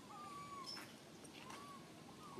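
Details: Frightened tiny baby monkey alone up a high tree, calling its mother with two long, thin, steady whistled cries, the second slightly rising, over a constant background hiss.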